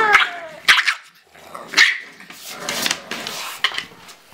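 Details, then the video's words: Bulldog puppy named Cally play-fighting with her mother Autumn, interrupting a photo shoot; short harsh barks and growly bursts spaced about a second apart, with a person's voice in the background. "Bulldog Puppy Fights Mom and WINS!!"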